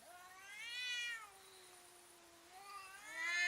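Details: Domestic cats squaring up to intimidate each other while fighting, giving strange drawn-out meows: a loud rising-falling wail near one second, a long quiet steady moan, then another rising wail building at the end.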